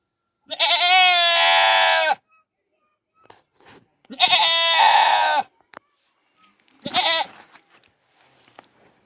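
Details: Goats screaming like humans: three loud, long, harmonic bleats, each a drawn-out nasal wail of one to two seconds, separated by short pauses, with faint clicks and rustles between them.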